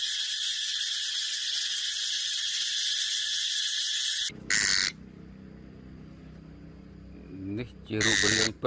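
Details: Brown cicada droning in a steady high buzz for about four seconds, then it stops abruptly and people talking and handling noises follow, with brief bursts of buzzing returning.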